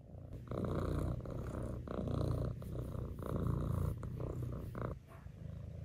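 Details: Five-month-old female Maine Coon kitten purring steadily indoors, a low rumbling buzz in long continuous pulses with brief pauses between breaths.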